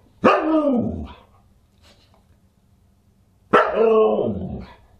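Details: Two drawn-out, bending woo-like barks from a Husky at a dinner party, December 27, 2022, about three seconds apart, with near silence between.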